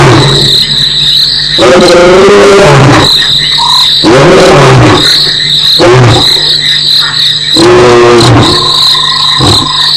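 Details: A lion roars in deep, repeated moaning bursts over a steady, high insect chorus at Nkorho, 21 November 2008, with a critter walking in the background; probably the roaring animal. Lion (Panthera leo), roar.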